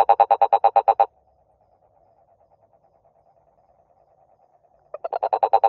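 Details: A toad's fast pulsed croaking ends after a second, followed by a long stretch of faint distant trilling, then the loud rapid pulses resume near the end.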